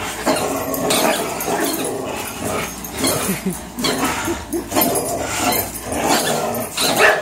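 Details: Fox, a 3-year-old Greyhound, and Miles, a 3-year-old German Shorthaired Pointer, locked in one of their frequent tug-of-war marathons: dense, rough growling rumbles in overlapping bursts, with scuffling noise throughout.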